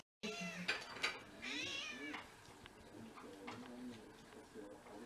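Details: House cat, one of six mixed-breed cats living together in Japan, first snow of February 2023: two drawn-out, bright meows bending up and then down, followed by softer low murmuring voices in a quiet room.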